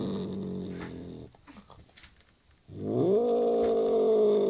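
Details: An angry British Shorthair cat gives a low, drawn-out growling yowl that rises and then holds steady.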